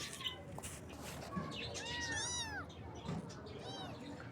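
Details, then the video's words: Baby kittens in the morning giving two arching meows, rising then falling, the second softer, over a steady background hum with scattered faint clicks. "Kitten Meows"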